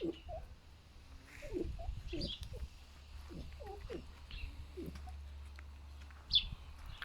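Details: Two pet foxes rescued from a fur farm, grunting like a pig in strong winds: short, low, rough bursts repeated irregularly through the first four seconds, with faint high bird chirps above.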